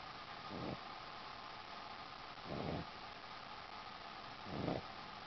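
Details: Boston Terrier dozing on a sheepskin, three slow, low, rasping snores spaced about two seconds apart, over a steady hum.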